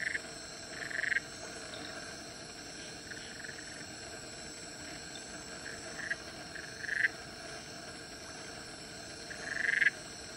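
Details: Black-eyed litter frogs wrestling at Central Catchment Nature Reserve, Singapore, on 19 November 2016; four short, loud, buzzy croaks at irregular intervals over a steady hum of insects.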